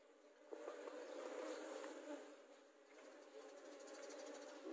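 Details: Asian honey bees from a nest built at the front of a house four years ago, as the nest is being taken: a dense, steady droning hum, swelling and easing in loudness, with faint background voices.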